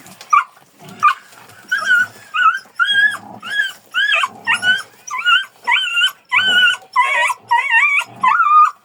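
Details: Kangal dog giving a steady series of high, tonal yelps, each a short rising-then-level whine with strong overtones, roughly one every half second to second, in a fairly quiet setting.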